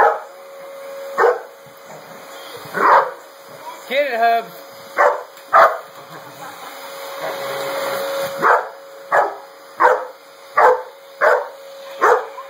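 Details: Hoby, a chocolate Labrador Retriever pet, goes nuts barking at the running sweeper, treating it as an enemy; about ten sharp, separate barks come every second or so over a steady vacuum-cleaner drone, with a short wavering whine midway.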